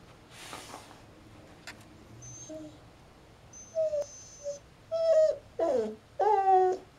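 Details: Female Siberian Husky stuck under a coffee table indoors, whining in short tonal bursts that rise and fall, growing louder and closer together over the last three seconds, with a quiet room in the background.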